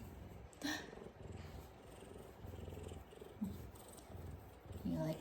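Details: Big male F2 Savannah cat purring while giving headbutts as affection indoors: a steady low, rumbling pulse runs throughout, broken by a woman's brief speech near the start, middle and end.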